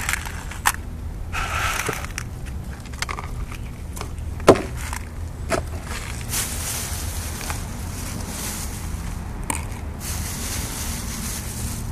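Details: Outdoor footsteps, crunching and scraping over a low street hum, with one sharp knock, and no meowing or other animal call.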